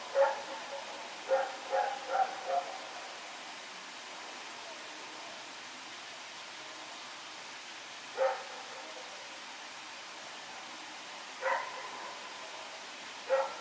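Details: On September 21, 2018, Rex the dog barks while running around at night: a rapid run of four or five barks, then isolated barks several seconds apart, fairly distant against steady hiss.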